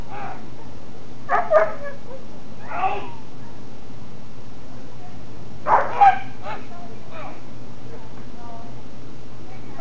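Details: Johann, a German Shepherd in Schutzhund protection phase training, barks during bark-and-hold work while preparing for a SchH 1 trial; short deep barks come in scattered pairs over steady low hum, with voices nearby.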